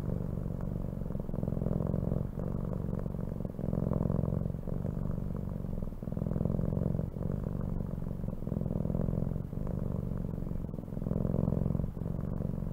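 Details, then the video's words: Soft, continuous cat purr, a gentle low rumble rising and falling with slow breaths every two to three seconds over a faint background hiss. "CAT SOUNDS"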